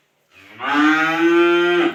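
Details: One cow at a Bogura dairy farm lows in a short, full-bodied moo lasting about a second and a half, rising slightly in strength then cutting off sharply.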